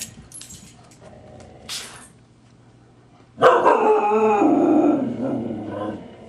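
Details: Grouchy husky Siku snapping at teasing puppy Loki: faint rustling and a light thump, then an abrupt loud, harsh, rumbling growl-snarl that holds for about two seconds before fading.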